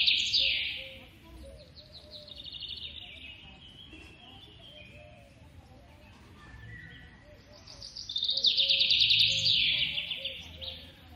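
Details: Young squirrel being hand-fed in captivity squeals in thin, high, rapidly pulsed trills that slide downward, loudest at the start and again near the end, with quieter squeaky chatter between and a faint low hum.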